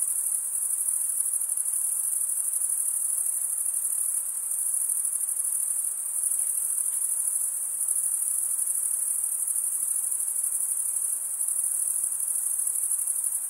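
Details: Stridulating crickets produce an unbroken shrill high trill, steady in pitch, that eases slightly in loudness around the middle before returning, over a faint wash of lower noise.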